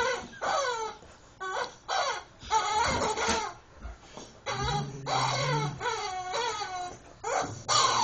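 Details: Bishop, a Rottweiler, playing with Mr. Chicken, his favourite toy; bursts of bending, moaning whines rise and fall in short groups separated by brief silences, with a low buzzing squeak midway.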